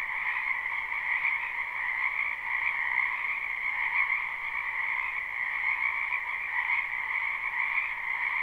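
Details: Frogs in a backyard wetland during spring, live and unlooped: continuous high-pitched croaking chorus, evenly loud, with a bright upper band over a lower one and no breaks or other voices.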